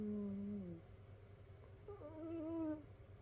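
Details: Sleeping domestic cat snoring among several cats in a multi-cat home of rescued cats, curled together in a cat pile; two whistled, nasal tones, the first falling slightly, the second wavering and longer, over a steady low hum.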